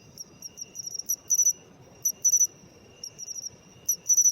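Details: Pine cricket, known in Japan as matsumushi, singing with an autumn feel; bright tinkling high chirps, quick soft ticks building into louder two- or three-note bursts, repeating every second or so over a low rumbling background.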